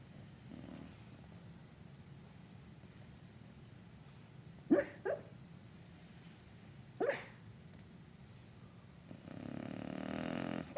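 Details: Sleeping bulldog, said to be dreaming of chasing a squirrel, lets out sudden muffled woofs around the middle, a quick double then a single, against quiet breathing, ending in a longer breathy snore-like rush.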